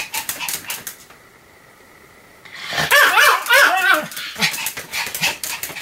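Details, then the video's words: Sam, a Pomeranian, barking on 7 October 2015: brief yaps, over a second of near quiet with a low hum, then a loud cluster of high, warbling barks about three or four per second. "犬の鳴き声 ポメラニアン サムの連続吠え"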